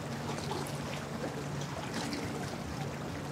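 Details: Steady wash of water and boat noise with faint trickling, and no animal voice heard.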